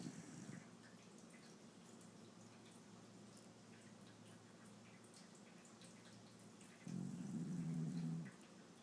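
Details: Sleeping Shiba Inu Yuki gives a faint, low snore: the tail of one breath at the start, then a longer droning rumble after a quiet pause of several seconds.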